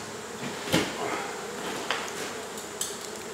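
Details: Continuous hum of honey bees from a colony being removed from a house wall in Mission, Texas, with three short clicks and taps from the work over an even droning background.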